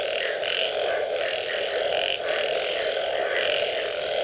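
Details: A frog chorus after rainfall, thick and unbroken: a constant buzzing drone with higher pulsed notes rising and fading irregularly, several animals overlapping, and a brief dip in loudness near the middle.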